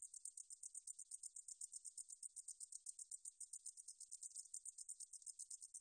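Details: Katydid (등줄어리쌕쌔기) song from the National Institute of Biological Resources, 2020: a high, thin buzzy pulse train repeated rapidly and steadily, slightly uneven in rhythm, with no other sounds.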